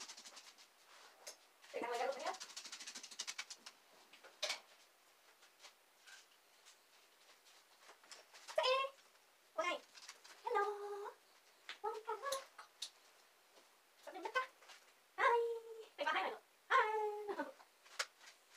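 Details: Two young female dachshunds, Saigrorg and Tanggwa, whimpering indoors while waiting for their owner working in the basement; wavering, rising-and-falling whines come in short bursts through the second half, with scratching and pattering between them.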